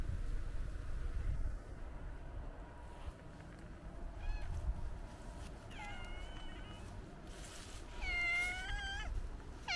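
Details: White stray cat enjoying being petted; a few short, clear meows with rising-falling tone in the second half, over low rumbling background noise.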